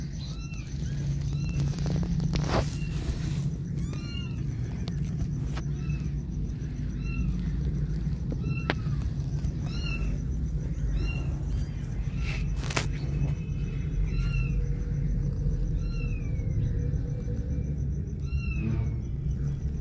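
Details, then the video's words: Kittens left alone call as the mother cat comes back: many short, arched, high meows repeated every second or so, some overlapping, over a loud continuous low rumble. "Alone Kittens Gone Crazy When Mother Cat Came Back"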